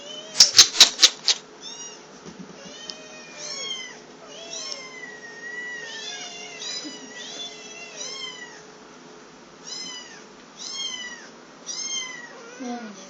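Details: Hungry three-week-old black kittens, Salt (male, lower voice) and Mint (female, higher voice), mewing constantly: thin, high, arching cries tumbling over one another in quick succession, after a few sharp knocking clicks at the start, over a faint steady hum.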